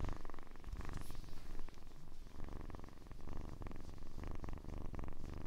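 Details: Kitten purring: a steady, deep rumbling pulse held through the whole stretch, with slight rises and falls in loudness and no other clear sounds.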